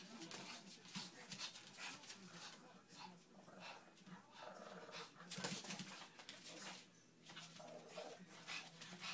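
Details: Two sibling Pekingese, a male and his sister, grumble, snort and give brief whiny yips in quick, uneven bursts while wrestling in rough play, with a person's voice and indoor scuffling underneath.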